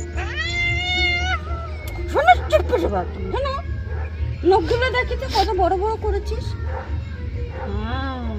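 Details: Cat protesting during an afternoon bath: a long, level, plaintive meow opens, followed by broken yowling cries mixed with human voices, and a softer falling meow near the end.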